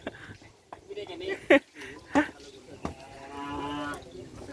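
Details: Cattle at the Asemanis field during preparations for a kerapan sapi bull race: men talk briefly, then one long, low, steady moo is drawn out over the final second and a half.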